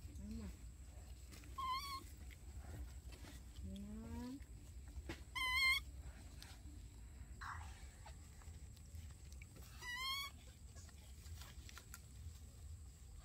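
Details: Daily life of baby monkeys Dorn and Dum: shrill, quavering cries recur every few seconds, mixed with lower rising whines and a faint background hum.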